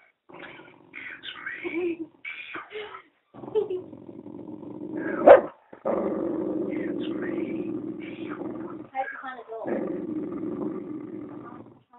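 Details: Penny the dog growls long and low at a talking Eeyore puppet, a sustained rumbling that runs for several seconds at a time with one sharp bark, while people talk over and between the growls.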